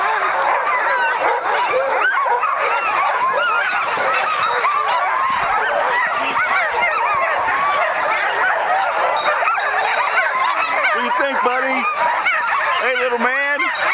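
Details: Many sled dogs barking and yipping in a dense, continuous chorus as they wait eagerly to start a dog sledding outing in 2010; overlapping sharp barks and whines, a few people talking nearby.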